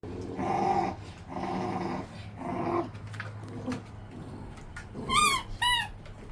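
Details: Central Asian Shepherd puppies from one litter, kept in a dog house: a series of harmonic, moaning growl-whines in the first three seconds, then brief high yelping whimpers with falling pitch near the end.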